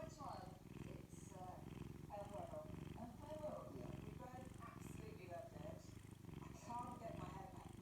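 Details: Domestic cat enjoying a Saturday morning, purring in a steady, low, pulsing rumble that runs unbroken through the whole stretch, while human speech talks over it throughout.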